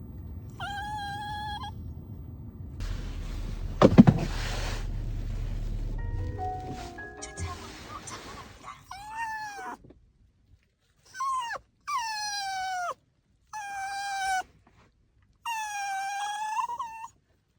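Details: Maltipoo staying alone for three days at a dog hotel, giving high, falling whines in four short bursts separated by silence, after a passage of music and thumps.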